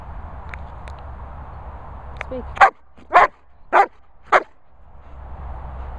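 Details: German Shepherd at a dog training kennel in the Worcestershire countryside barks on the spoken command "speak". After a trainer's voice and a few faint sounds, it gives four loud, deep barks about half a second apart, then falls silent.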